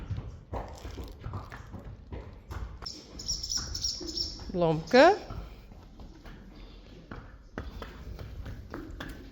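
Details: Friesian horse giving a short wavering neigh that sweeps upward in pitch around the middle, amid a woman's speech, scattered tapping and clip-clop sounds.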